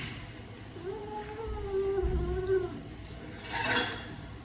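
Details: Owie, an odd-eyed pet cat, gives an angry drawn-out low moan lasting about two seconds, steady in pitch with a slight dip, in a small room with a faint rustle near the end.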